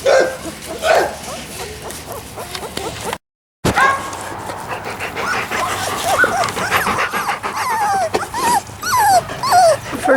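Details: Unhappy Labrador Retriever puppies of Sasha & Moses on their first day on the lawn, dated 10/28/13; a busy overlapping chorus of thin whimpers, squeaks and short yelps from several pups, with brief rustling and occasional speech.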